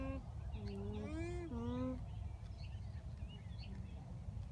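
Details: Alpaca hums at a farm in Townville, South Carolina, captured close on a phone: several smooth, nasal tones in quick succession, one dipping low, one rising then falling, followed by quieter background with faint distant chirps.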